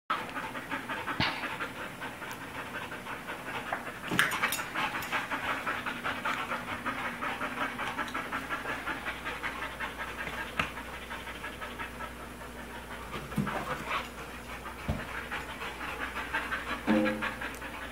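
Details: Siberian husky and American bulldog playing with a balloon indoors, which they eventually pop; steady breathy panting runs throughout, broken by a few sharp clicks and thumps from the play.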